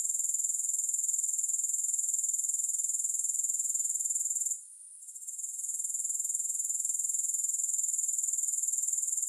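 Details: Grasshoppers trilling continuously, a bright, sizzling high tone pulsed at an even rate near four per second, interrupted once by a brief quiet dip halfway through, then building back to the same level.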